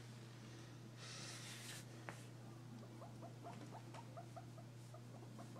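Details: A guinea pig gives a quick run of short, squeaky notes over a steady low hum; the owner wonders whether this sound means it is happy.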